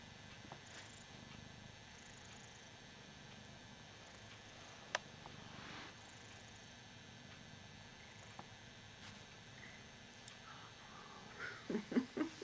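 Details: Hoss, a Ragdoll cat, purrs while enjoying being adored: a soft, steady low rumble runs throughout, broken by a few faint clicks and a brief human voice near the end.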